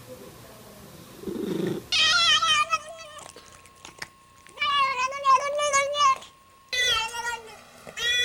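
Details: Cat making unusual sounds: drawn-out, wavering harmonic meows and yowls in three long bursts, rising and falling, with a faint steady tone beneath and a brief low rumble before the first call.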